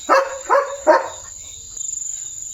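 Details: Leo the German Shepherd, wearing new glasses, gives three quick loud barks about half a second apart, then falls quiet with a faint low rumble and a steady high whine.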